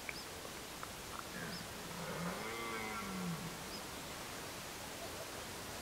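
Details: Red deer stag in Côte d'Or, France, during the 2023 rut: one deep, hoarse bellow that swells then falls away over about a second and a half, rich in harmonics. Faint high chirps sound in the background over steady outdoor hiss.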